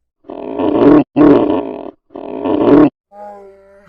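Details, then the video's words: Three loud, gravelly polar bear grunts in a row, each about a second long, followed by a faint, level moaning tone. "FUNNY POLAR BEAR NATURAL SOUNDS"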